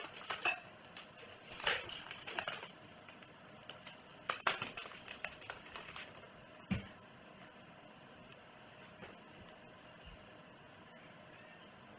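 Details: Dishes and cutlery clink and clatter in a small room, loudest in the first seven seconds, then a quiet hum.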